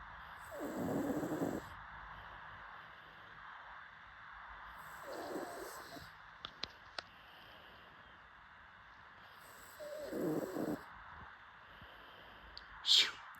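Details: A sleeping pug snores in three raspy, fluttering breaths spaced about four to five seconds apart. A few sharp clicks follow, and a brief high squeak comes near the end.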